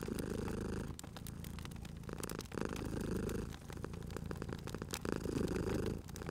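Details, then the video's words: Purring of a sleeping cat next to a crackling fire; low, continuous rumble pulsing in inhale and exhale phases roughly every two seconds, mixed with dense popping and crackling of the fireplace. "Cute Purring Cat at a Crackling Fireplace"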